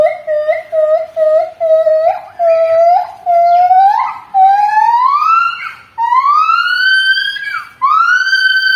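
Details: Javan gibbon call likened to a siren: short pure hoots at a steady pitch that quicken, then climb into long, sweeping rising wails that reach a high, held peak.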